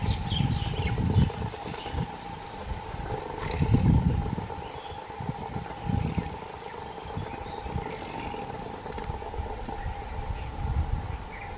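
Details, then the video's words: Bengal tiger at Nahargarh Biological Park, a captive animal, giving deep, rumbling roar bursts roughly every two to three seconds, with the loudest near the start and middle, over a steady mechanical hum. "Bengal Tiger Roar"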